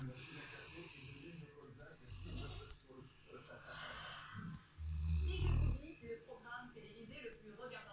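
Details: A Rottweiler settled on the sofa snores in deep, rumbling breaths while people talk softly nearby.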